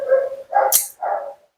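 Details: Mila, a talkative female Siberian Husky at her second-ever grooming, vocalizing during her bath: three short, moaning, talk-like woos with a brief hissing burst between the second and third, indoors with a person speaking nearby.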